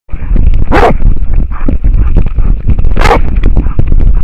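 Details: American foxhound barking at a wild boar in Finland, recorded on a trail camera; rough, deep barks overlap with heavy low rumbling and crackling noise, with two louder sharp barks standing out.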